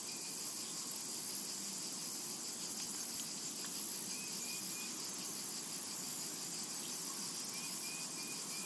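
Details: Summer meadow cicadas fill the air with an unbroken shrill hiss-like drone, with a couple of faint short whistled notes drifting in over the last seconds.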